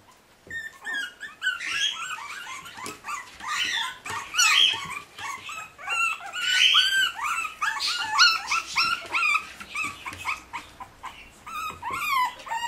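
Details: Forty-day-old puppies whimpering and yelping continuously, several high, quavering whines overlapping in rapid succession with short squeaky rises and falls throughout.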